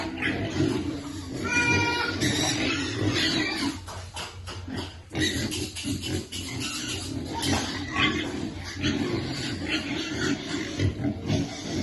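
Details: Hungry piglets before feeding: a burst of high squealing early on, then overlapping low grunts and rustling, with a short quieter gap midway.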